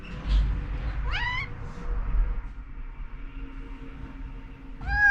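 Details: Rescued cat Nanako meowing urgently to rouse her overslept owner: a short upward-sweeping meow early on, then a second meow beginning at the very end, over a low steady background hum and faint household rustle.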